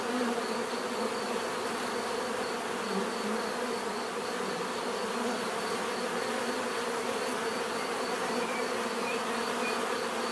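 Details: Continuous bee buzzing, a dense level hum with faint wavering bands as individual insects pass; no other sounds stand out.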